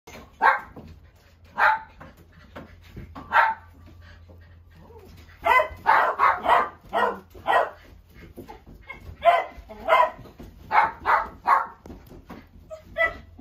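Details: Dog barking in bursts, sharp mid-pitched barks singly and in quick runs of three to four, spread over about thirteen seconds with short quiet gaps; steady low hum underneath.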